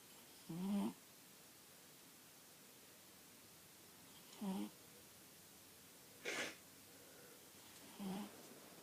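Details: Buddy, a dog, snoring while asleep indoors: four short, low nasal snorts with a slight rasp, spaced two to four seconds apart, one breathier and higher than the rest, against a quiet room hiss.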